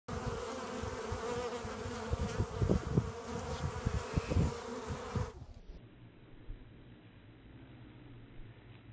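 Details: Honey bees bringing in pollen, filmed in slow motion: a dense, low, throbbing buzz with pulsing wingbeat surges fills five seconds, then drops abruptly to a quiet, muffled hum.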